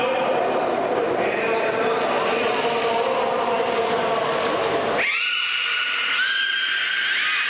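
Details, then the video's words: Captive beluga during a public training session at Port of Nagoya Public Aquarium, Japan, producing sound from its blowhole: after five seconds of crowd chatter and noise, clear whistles with harmonics rise sharply and are held, repeated twice, over a quieter background. "ベルーガ ミライくん 頭の穴から音が出ます"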